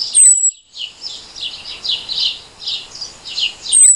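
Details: A daytime insect gives a very high, saw-like call on a single note. Rasping high bursts repeat roughly every half second, with brief thin falling whistles at the start and end.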